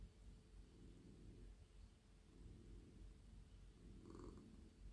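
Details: Domestic cat, male and very friendly, purring while being stroked in a lap; an even low drone with little rise and fall, a brief brighter rustle near the end.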